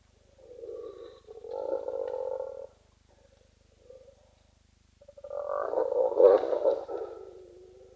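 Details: Spotted hyenas squabble off camera at a pan in Khwai Private Reserve, Okavango Delta, Botswana, with rough, throaty groans and growls coming in two heated bursts.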